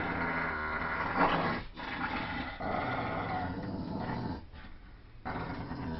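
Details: Deep, continuous growling from a Staffordshire Terrier, German shepherd and poodle mix at tug of war, one rolling rumble that dips briefly before ending.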